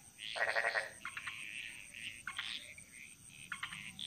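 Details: Bali jungle frogs: one loud pulsed rattle opens, followed by softer scattered croaks and clicks, with a steady high background hiss.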